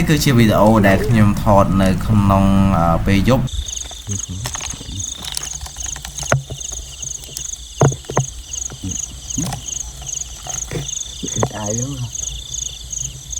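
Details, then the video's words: Field crickets at night, recorded during a night-time cricket-catching outing: after a few seconds of a man talking, a steady high-pitched pulsed trill repeats rapidly and evenly, with occasional knocks and rustling from handling. "ចង្រិតស្រុកស្រែពេលយប់ l Field crickets at night"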